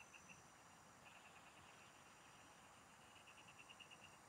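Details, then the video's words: Frogs in the fields, heard during fishing: short runs of beady pulsed notes, a longer clearer series toward the end, faint steady insect hiss throughout. "Pikinggan mo Ang MGA huni Ng MGA Palaka SA bukid| Relaxing Frog Singing"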